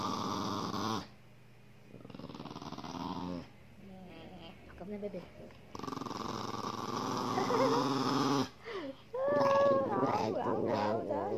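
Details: Pet dog "talking" back to its owner indoors while being teased, making drawn-out groaning, wavering moans and grumbles with bursts of breathy noise, interleaved with the owner's coaxing speech.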